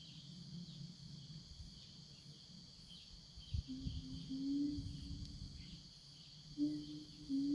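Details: Siamangs roaming a forest, answering one another as they call their companions: a few steady, level hoots held for about a second each, with a constant high insect drone behind them.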